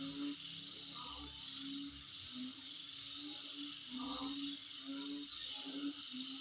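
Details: Around a dwelling, an unbroken high insect drone carries on with quick rhythmic pulsing overhead; scattered low hoot-like notes and brief mid-pitched calls appear every second or two.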